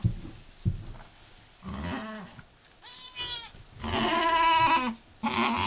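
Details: High, quavering bleats, including a long, steady, tonal one near the end, rise above low grunts and shuffling as a nanny goat delivers her second kid, moments after her first.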